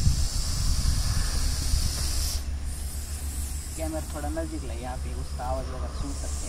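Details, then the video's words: Aggressive Russell's viper during a snake rescue near Baramati, Maharashtra, India, hissing loudly like a pressure cooker for the first two seconds over a low rumble, then a man talks while the hiss continues more softly. "Very Aggessive Russell viper hissing | गुस्सैल चित्ती सांप की खौपनाक फुफ्फकार"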